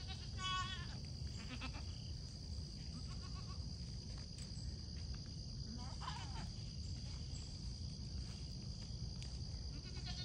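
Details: Pygmy goats give a few short, wavering bleats over a steady low rumble of wind on a foggy morning at a farm in Knoxville, Tennessee, guarded by a Great Pyrenees.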